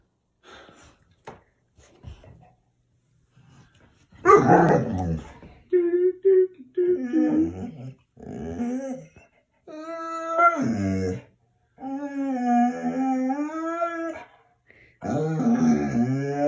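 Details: Pet dog, a female, indoors, angry at her owner for not giving her attention: after a quiet start, a series of loud, drawn-out, wavering howling grumbles and whines in separate bursts, with short pauses between them.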